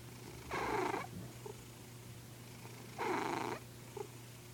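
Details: Two raspy snores from a sleeping old house cat, each lasting about half a second and coming roughly two and a half seconds apart, with soft breathing between them and a faint constant hum behind.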